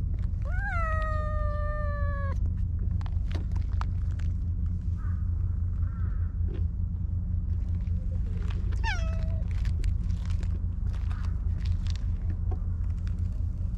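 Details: Stray cat Maro in a park, asking for affection while being petted, gives a long drawn-out meow that rises then holds steady, later a shorter second meow, with constant low background rumble.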